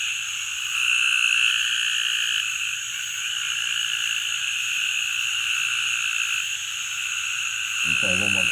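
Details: A fossorial narrow-mouthed toad gives a long, nasal, buzzy bleat, much like a lamb's baa.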